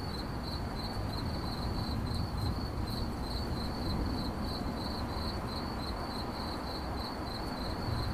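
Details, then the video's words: Rapid, rhythmic cricket chirps on one thin high note, repeating without pause over a broad low droning background. "CRICKET CHIRPING"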